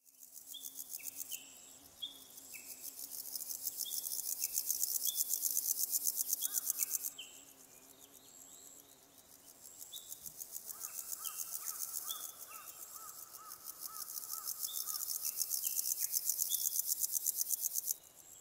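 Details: Naki-inago grasshopper singing, slowed four times from a separately recorded sound: bursts of dense, rapidly pulsed high buzzing lasting several seconds, separated by short pauses, with faint tonal chirps lower down.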